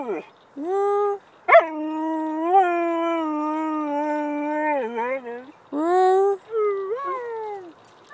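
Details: Siberian Husky howling, described as a singing husky: long sustained tones with rich harmonics, a steady held note with slight wavering and dips, then shorter rising and falling howls after a pause.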